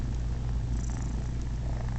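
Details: Male domestic cat purring while letting three unrelated kittens nurse on him and licking them: a steady, deep, continuous rumble with no breaks, all low in pitch.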